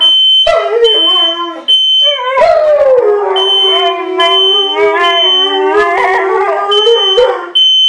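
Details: A Siberian Husky and a German Shepherd respond to a beeping smoke alarm triggered by cooking with drawn-out howls, one holding a low steady pitch while the other wavers higher, with the piercing alarm beeping on and off.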